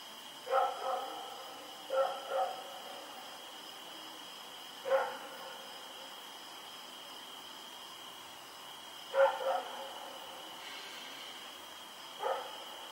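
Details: Night barking from Rex, a dog running around outdoors, recorded October 7, 2018: five separate bouts of sharp barks, some doubled, spaced a few seconds apart, with a constant high-pitched hum behind them.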